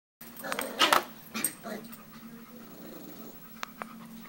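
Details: Australian Shepherd puppies giving a few short, high yelping whimpers early on, then softer breathy sounds over a steady low hum.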